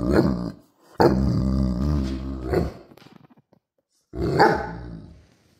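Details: Central Asian Shepherd dog giving three loud, drawn-out, moaning growl-howls, each lasting one to two seconds and separated by brief silences.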